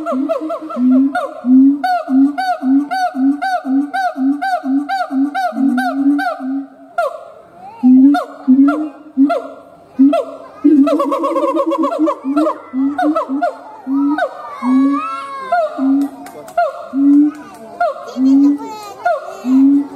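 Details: Siamang gibbon howls: a rapid string of short barks, then a pause and slower spaced hoots mixed with shrill rising and falling wails toward the end.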